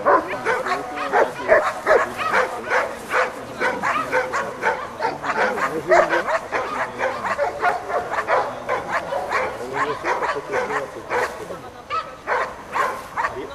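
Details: Rapid, irregular barking from a black Giant Schnauzer called Amos, about two and a half barks a second, mixed with human voices talking over the dog.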